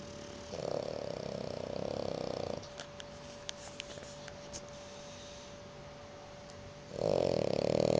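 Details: French Bulldog Matsuri snoring while napping on a sofa beside Miko and a person: a buzzy, rattling snore breath lasting about two seconds, a quiet pause with faint clicks, then another rough snore beginning.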